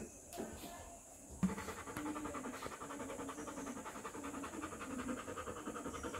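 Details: Rottweiler puppy, three weeks old, breathing in rapid rhythmic pants after a brief knock at the start, with a low steady hum underneath.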